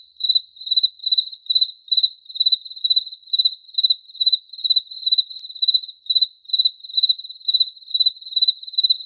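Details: Cricket chirps repeating evenly, roughly two to three bright pulsed bursts per second at one high pitch, a steady unbroken rhythm and no other noises.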